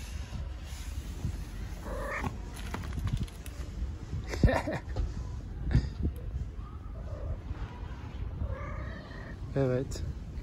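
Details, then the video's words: Friendly stray cat in Istanbul talking to a person on the street: a few short, tonal meows break through a woman's soft Turkish speech and low street rumble, with a brief wavering cry near the end. "Friendly stray cat talking to me, meow"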